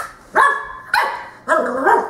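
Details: Young Cocker Spaniel puppy, ten weeks old, hesitating at the top of indoor stairs as a black dog tries to coax her down; three sharp, high yelping barks spaced about half a second apart in a small room.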